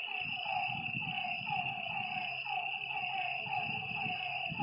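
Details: Frogs calling at night by a lake: short downward-sliding croaking notes repeat about once a second over a steady high insect drone, with a low rumbling murmur underneath.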